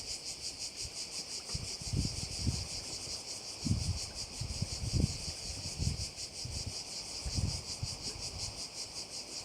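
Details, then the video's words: Cricket chorus beside a Korčula bay, a high rasping drone that pulses quickly and evenly throughout, interrupted by repeated low gusts of wind buffeting the microphone every second or so. "Korčula - view of one of the bays in Korcula with sounds of crickets"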